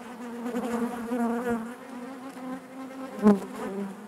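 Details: Honey bees humming in their hive: an even, low buzzing drone with clear overtones, and a single sharp close buzz of a passing bee a little after three seconds.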